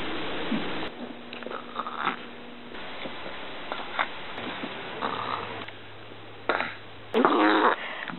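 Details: Little dog burping, a series of short, throaty, gulping burps scattered through eight seconds, several louder and rougher near the end, with a low steady hum under parts of the recording.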